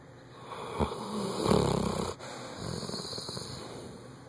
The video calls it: Bloodhound snoring loud